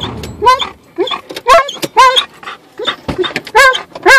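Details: An Alaskan Malamute riding in a car on a short drive to the dog park gives rapid, wavering whining yowls, about two each second, rising and falling.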